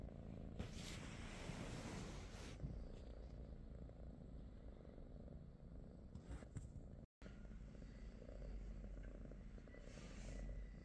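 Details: British Shorthair cat at home in the morning, purring in a steady low rumble throughout, with faint higher rustling and a brief silent break about two-thirds through.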